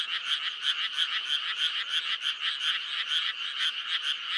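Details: May frog chorus, a dense run of grating pulsed croaks, roughly three per second, overlapping into an unbroken rattling drone.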